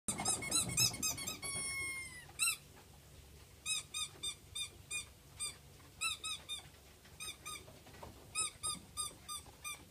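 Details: Black German Shepherd puppies from Peterborough squeal in bursts of short, high, harmonic squeaks, several per second, in clusters separated by brief pauses, with a quiet background.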